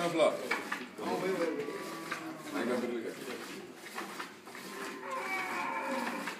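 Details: Crossbred 7/8 Montbéliarde dairy cow, born in Mali and kept on a farm in Bamako, giving drawn-out, low harmonic moos that rise and fall, partly overlapped by people talking nearby in the background.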